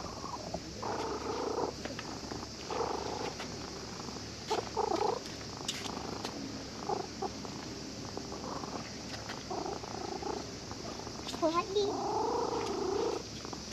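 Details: Contented purring from a cat stroked by a child at a fishing port where it had been sleeping; repeated rasping purr bursts roughly every second or two, uneven in strength, with faint background noise.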